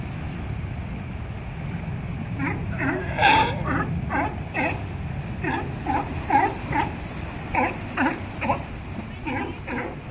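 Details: Several sea lions at La Jolla Cove, San Diego, California, give rough, hoarse, honking barks in quick runs, often two or three close together and overlapping, above a steady low roar of surf and wind.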